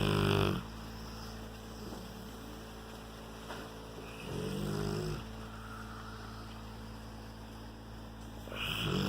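A Rottweiler snores deeply, with rumbling, raspy breaths about every four seconds.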